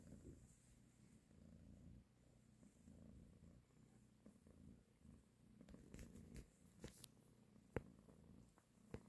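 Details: Mother cat purring as she nurses and caresses her kittens, a steady low throbbing drone in the first seconds, then softer purring under sharp clicks and rustles toward the end.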